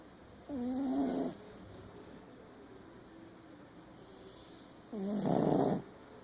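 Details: Shih Tzu named Meg snoring loudly: two rasping, buzzy breaths about four seconds apart over a steady background hum.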